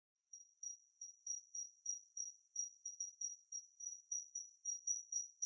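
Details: Kinhibari cricket (Natula matsuurai) singing a very high, thin, ringing trill broken into short pulsed bursts, about three or four per second, steady throughout against a silent background.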